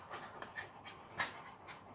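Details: Small Jack Russell Terrier dog interfering while her owner gives a leg a healing treatment with a massage machine; quick, soft, breathy panting puffs, several each second, low in level with no other clear sounds.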